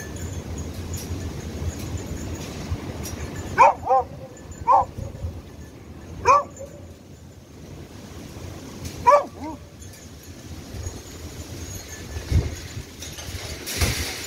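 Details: Beagle in rescue dog training, searching for hidden victims: short harmonic barks, single and paired, scattered across the clip with quiet gaps between them, over steady wind and outdoor background noise.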